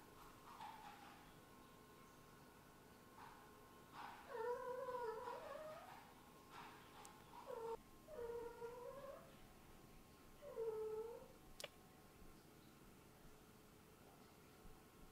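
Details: Tired kitten trying to go back to bed indoors gives a handful of short, soft, down-curving meows a few seconds apart in the middle stretch, against a quiet room with a faint steady hum and occasional clicks.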